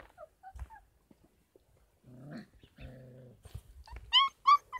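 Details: Young Kangal puppies aged 33 days on a farm: scattered soft squeaks, a low buzzy growling rumble lasting about a second and a half, then two loud, sharp, high yelping whines close together at the end.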